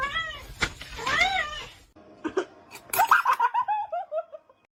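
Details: A domestic kitten (Felis catus) gives thin, arching meows, rising then falling, while people laugh and talk nearby.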